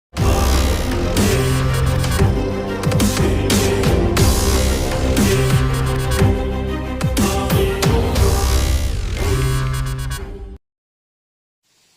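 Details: Loud electronic dance music with heavy bass and drums plays for about ten seconds, then stops into silence, with no animal sound.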